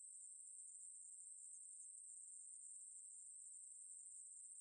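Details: Continuous high-pitched sizzling drone of a Ruspolia katydid, from 2020 National Institute of Biological Resources material, even in loudness and pitch across the whole stretch, against a quiet background.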